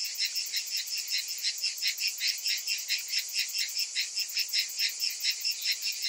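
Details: Cicadas calling on a hot summer afternoon, a dense high buzzing chorus pulsing roughly twice a second, steady and continuous with no other sounds.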